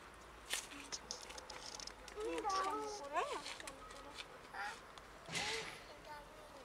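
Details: Cats of a large colony living by and in a dumpster, where they feed, give several short wavering meows in a cluster midway through, over faint outdoor background and a few clicks.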